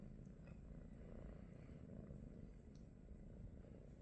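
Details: British Shorthair cat purring on a relaxed morning, belonging to the trio Pikachu, Teddy and Rosie: dense, deep vibrating rumble held without pause, close and steady, nothing else audible.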